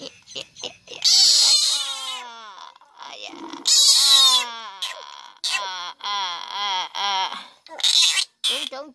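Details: A frog, held by people, gives loud, harmonic distress screams in repeated wailing bursts, as if pleading to be released, with people talking nearby.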